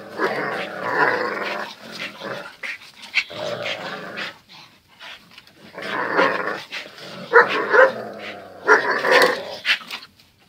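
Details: Zion and Tyson, two dogs, in their everyday fierce fight, growling and snarling almost continuously, with sharper bark-like bursts clustered near six, seven and nine seconds.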